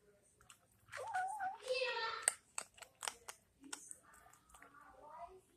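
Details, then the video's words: Maurice the cat making weird noises while eating indoors: wavering, drawn-out murmuring cries followed by crunchy chewing clicks and smacks. "Maurice kitty making weird noises while eating"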